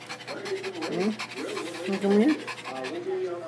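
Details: Shih Tzu upset by the rain, breathing in fast, even panting pulses broken by a few brief whiny rising tones, with a person talking close by over it.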